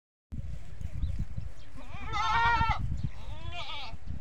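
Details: On a goat farm, a goat gives two wavering, nasal bleats, a call said to draw the young kids to her, over a steady low rumble of wind or handling noise.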